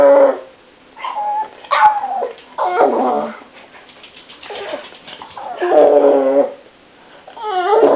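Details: Pet dog whining indoors, the noises described as funny and on the mild side: a run of loud, wavering high whines and yelps in bursts about a second long, rising and falling, with short pauses between.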